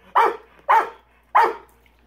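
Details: Pet Rottweiler at his swimming pool, barking at a large rock in the water: three loud, clipped barks spaced about half a second apart, with quiet pauses between.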